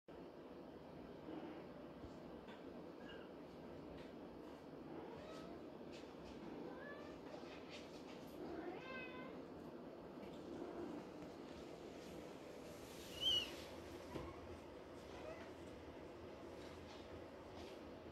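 Maine Coon kittens give thin, high mews, several overlapping over a steady background hiss.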